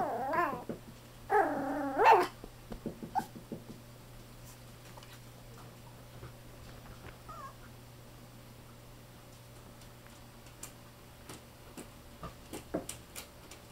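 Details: Male fawn Chihuahua-Poodle mix puppy born on 9 July, indoors: a couple of short, whiny whimpers early on, then mostly quiet with faint rustling, small clicks and a steady low hum.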